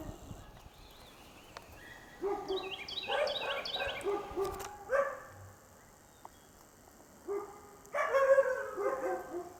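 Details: A domestic dog in its own yard gives bursts of loud, harsh alarm barks at a feral cat acting abnormally behind the fence, setting off other neighbourhood dogs; Quitman, Mississippi, 13 April 2016.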